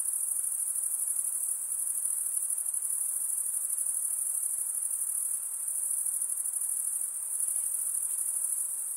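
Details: Continuous high-pitched trilling of insects after dark, an even pulsing shimmer with small swells and dips in volume, over faint, diffuse noise and no other sounds.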